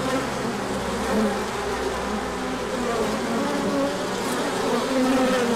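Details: Large orientation flight of bees on a sunny day following colder weather, 24 March 2024, with pollen coming in afterwards. A steady massed buzzing, several passing drones swelling and fading over it.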